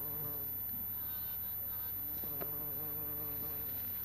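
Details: Bumblebee in flight on 26 April 2017, late morning near 11:45: a close, rich humming buzz that shifts pitch abruptly midway, then holds steady, with a faint constant low hum underneath.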